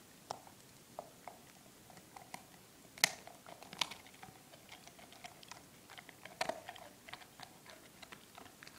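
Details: Drake, a four-month-old German Shepherd puppy, eats milkbone treats indoors: sharp, irregular crunches and clicks roughly every second, with a louder bite near the third second and another near the sixth and a half, over a quiet room.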